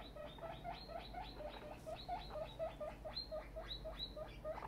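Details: Very excited female guinea pig named Tiny, now grown, giving a fast train of short rising squeaks about twice a second, each with bright upper harmonics, steady throughout.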